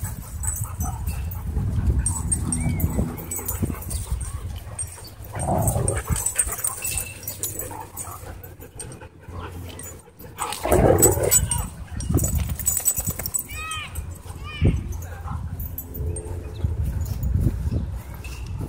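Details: German Shorthaired Pointer playing rough with a wolf dog and a puppy at a dog park: low rumbling scuffles and growl-like noise throughout, with a short run of high, arching yips late on.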